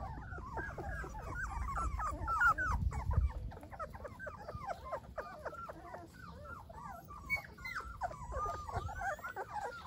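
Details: Golden Retriever puppies crying in a busy chorus of short, squeaky whimpers, many overlapping voices repeating rapidly, with a low thump and rumble early on.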